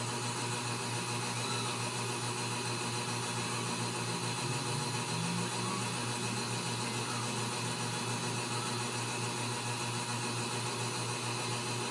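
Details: Loud, steady mechanical hum like a fan or motor fills the whole stretch, with no animal voice standing out.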